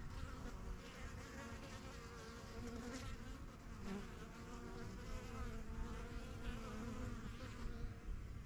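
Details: Foraging honey bees fly to and from a new yellow backyard hive, the strongest of the first hives begun in spring 2023. A continuous layered buzz with a wavering, slightly rising and falling tone fills the clip.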